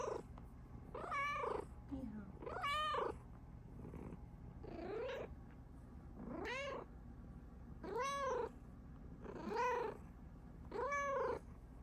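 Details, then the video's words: Domestic Bengal cat, a female, indoors and happy because her owner is around; a string of clear arching meows, about seven in twelve seconds, each rising then falling, with a man's soft voice talking to her between calls. "CUTEST MEOWS EVER!!"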